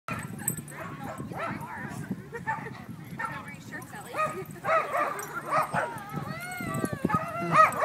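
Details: Corgis at a Corgi meetup group, including a puppy Corgi-Aussie mix, give sharp, high yips and short barks, some rising and falling, over people chatting.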